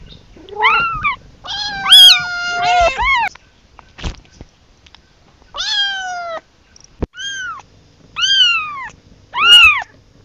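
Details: Kitten calling for its mother, a series of high, arched meows with rich harmonics, some short and some drawn out, coming in irregular bursts about a second apart with brief quiet gaps and a sharp click between.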